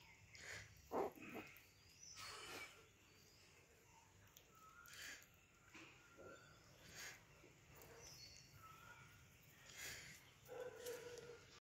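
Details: Rottweilers at playtime give short, rough barks and low growling bursts, spaced irregularly over several seconds.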